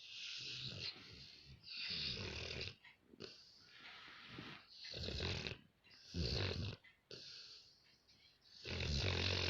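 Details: A Rottweiler sleeping in the house snores heavily, each breath a harsh, rumbling rasp with a fluttering low rattle, about one every two seconds with quieter pauses between.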